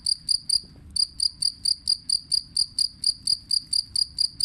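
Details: A jangkrik kalung cricket chirps in quick, even, high-pitched pulses, several each second.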